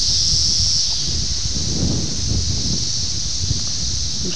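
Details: A loud, unbroken high-pitched hum from Brood X 17-year cicadas in Ayersville, Ohio, June 1987, taped on a VHS camera, with low muffled rumbling beneath it.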